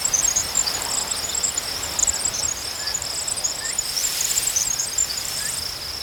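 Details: Cricket chorus outdoors: an unbroken high trill with very high, rapid chirping notes above it, plus a few soft short bird notes in the background.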